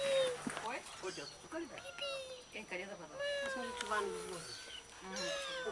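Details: Several one-day-old kittens in Bulgaria mewing over one another, thin high wavering cries that rise and fall, overlapping almost continuously, with a person talking softly in the background.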